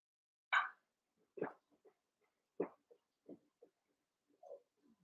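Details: Cavalier King Charles Spaniel puppies, about seven weeks old, eight littermates playing together in a pen: one sharp bark, then several lower, shorter yaps and grunts spaced through the clip in a quiet room.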